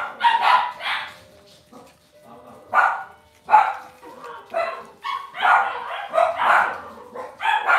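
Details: Indoor home pen of Cavalier King Charles Spaniel puppies, several shrill yips and barks in irregular clusters, some brief whiny tones between, continuing to the end.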